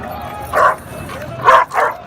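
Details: Dog offered for sale at the Friday dog market in Sayeda Aisha, Cairo, giving three sharp, mid-pitched barks, one single and then a quick pair, with faint crowd murmur behind.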